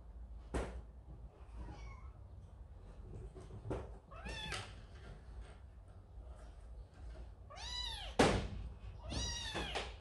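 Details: Baby cat scolded by an older brother cat and heading to its mother, indoors with a large cat family; scattered short mews build to loud, drawn-out wailing meows toward the end, with thumps and knocks between calls.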